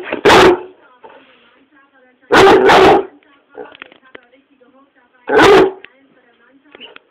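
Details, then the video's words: Angry pet dog Swiffer in a tantrum on the sofa at home, letting out loud rough barks: a single bark, then a quick double bark, then another single bark, spaced a few seconds apart in a small quiet room. "Angry Swiffer"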